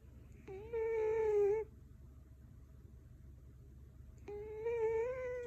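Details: A sleeping four-year-old female Scottish Fold named Goma, kept indoors in Canada, snores in two drawn-out, reedy whistles, each just over a second long, with quiet room hiss between breaths.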